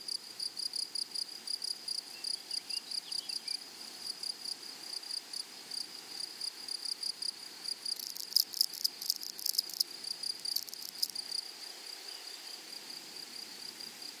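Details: Flowery meadow grasshoppers singing: rapid high buzzy pulses repeated steadily, with a denser, louder burst of rasping chirps around the middle before the even rhythm returns.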